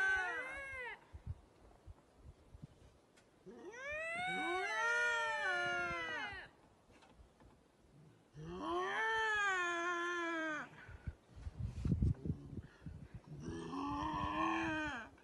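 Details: Two wild lynx give long, wavering, moaning yowls, rising and falling like a harsh drawn-out meow.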